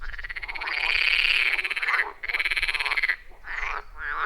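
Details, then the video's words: Frogs calling at a wild forest pond, recorded on iPhone 14 Pro and Shure MV88+; long rasping pulsed trills of about a second each, separated by brief gaps, with fainter croaks after them. "30 Minutes of Frog Sounds at a Forest Pond"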